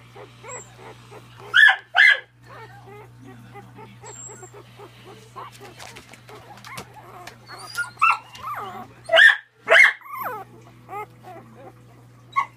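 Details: Miniature Dachshund puppies yapping in loud bursts, two near the start and a cluster later, between thin whimpering squeaks and soft whines over a constant low hum.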